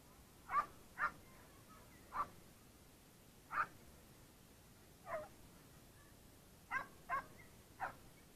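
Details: Bull Terrier giving eight short, sharp barks or yips spread irregularly over about eight seconds, some in quick pairs, against a quiet background.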